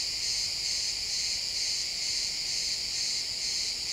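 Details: Crickets chirping in a pine forest at sunset, a dense high-pitched chorus with steady pulsing trills layered over one another, unbroken through the moment, with no other clear sounds.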